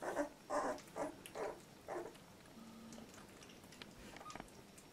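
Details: Labrador Retriever puppy, 14 days old, from litter J at Nice Friend, making a quick run of about five short, nasal, mid-pitched whining grunts over two seconds, then near silence with faint clicks.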